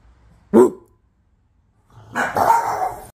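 A Boston terrier gives a single sharp bark, then a longer, rougher, drawn-out bark after a short pause.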